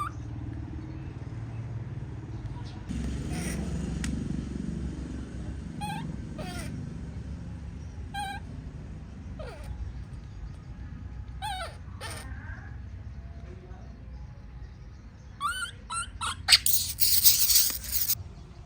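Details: Baby monkey in a tantrum while its mother leaves. Scattered, sharp, wavering cries rise and fall over a steady low rumble like a passing vehicle, with a burst of harsh broadband noise near the end.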